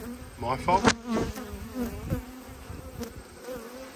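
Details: Honey bees in a kept hive during an autumn inspection, in an apiary of 12 hives where one colony has swarmed: a steady low droning hum holds throughout, with a few brief voice fragments and knocks early on.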